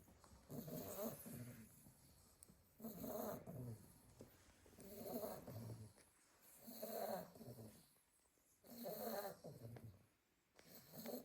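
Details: Litter of eight Staffordshire Bull Terrier puppies sleeping in a pile, soft rasping snores rising and falling about every two seconds, low breathy rumbles with quiet pauses between breaths.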